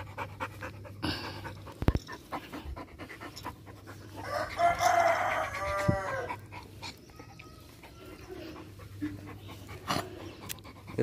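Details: An angry, aggressive pit bull, which the owner says is kept tied up with no one coming near, gives a brief, harsh, harmonic snarl-like outburst amid clicks and a low electrical hum.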